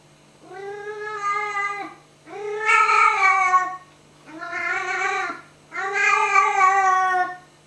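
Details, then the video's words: Tiggy, a pet cat, talking to a moth flying over her head indoors: four drawn-out, harmonic meows about a second long each, some rising then falling, spaced by short pauses, with a faint steady hum beneath. "Tiggy The Talking Hello cat, talking to a moth"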